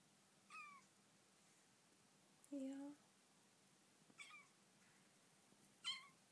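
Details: Young Bengal kitten in her new home, talking while getting used to her owner indoors: four short squeaky meows spread over six seconds, the second one lower, longer and harsher, with a quiet room behind.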